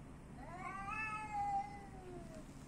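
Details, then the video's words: A single long meow from an Athens street cat swells upward, holds bright and strong, then trails off in a slow descending whine. A low background hum is present throughout. "street cats"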